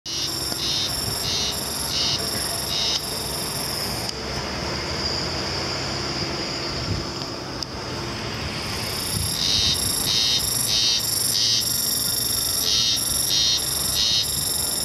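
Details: A Japanese spring cicada recorded on 2 May 2015 in Kamogata, Asakuchi City, Japan, sings in high, rasping pulses repeated in a steady rhythm, with a faint low rumble beneath.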